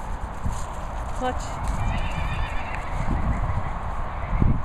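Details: Appaloosa cross colt fooling around, giving a short harmonic whinny of about one and a half seconds amid low thudding hoof sounds and steady background rumble, with a person speaking nearby.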